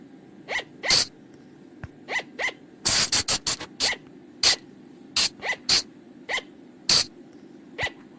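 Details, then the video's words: Night lure sound of a flying lemur (บ่าง, พุงจง) from the forest: scattered piercing squeaks, then a fast volley of harsh shrieks near the middle, with softer descending whines between and a low background hum. "เสียงต่อบ่างป่า หรือพุงจง,พะจง flying lemur sound"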